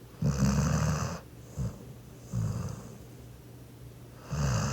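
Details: Laboon, a Labrador Retriever, snoring in his sleep after lots of play: four low, rasping snore bursts, the first and last long and loud, the middle two shorter and softer, separated by quiet pauses.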